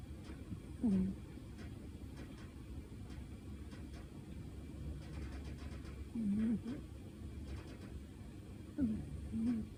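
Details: A sleeping cat named Shino, dreaming and twitching, gives soft low snoring breaths at about 200 to 300, three short rasping snores spaced several seconds apart over a quiet indoor background.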